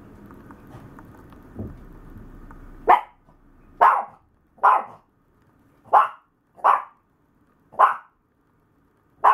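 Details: Maltese dog lying down and stretching its front legs, giving short sharp barks about once a second, seven in a row after a quiet opening with a faint low rumble.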